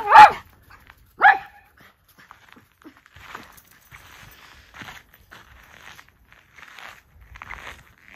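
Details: Two Miniature Schnauzer brothers out for a quick run in 14°F cold on December 12, 2022, after three weeks cooped up indoors. Two sharp, loud barks come in the first second and a half, followed by faint rustling and quiet voices.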